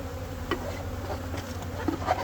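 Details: Carniolan honey bees at a hive during an inspection, where an extra box is being added for more room. Their buzzing is a low, steady droning hum, with a few faint knocks and clicks scattered through it.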